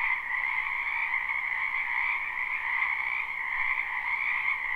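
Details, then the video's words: Frogs chorusing in a springtime wetland behind a house, recorded live. A continuous high-pitched trilling wall of sound pulses gently without pause. "Ambient Noise for Sleep Frogs"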